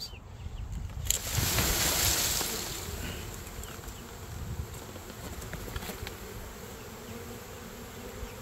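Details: Western honey bee swarm being knocked into a box for relocation: a loud rushing burst early on, then a steady, soft, low buzzing hum that continues to the end.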